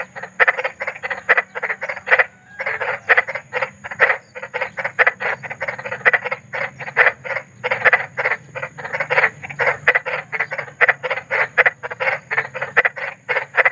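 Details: Large frog in the wild calling after dark, presented as relaxing night sound: sustained rapid series of coarse croaks, dense and overlapping, keeping an even pace throughout with a faint background drone.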